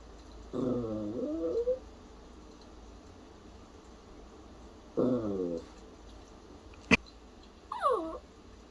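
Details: Dog making worried, cough-like vocal sounds: a wavering harmonic whine near one second long, a second shorter whimper at five seconds, a sharp click, then a brief falling yelp near the end over low background hiss.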